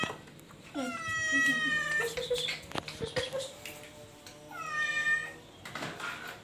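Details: Domestic cat indoors giving two drawn-out, rich harmonic meows, the first long and wavering, the second shorter and falling, with a quiet pause between and faint room clicks and murmurs.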